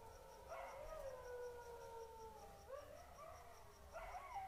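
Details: Golden jackals howl at night in long wailing notes that slide downward, followed by wavering yips, with a dog also barking in the night.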